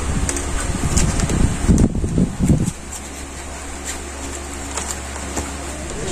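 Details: Steady fan or air-conditioner hum fills the room, with a short burst of muffled voice near the start.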